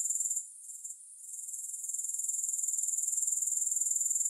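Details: High-pitched grasshopper buzzing pulses briefly, fades and wavers for about a second, then builds back into an even, rapid, rattling trill, with no music.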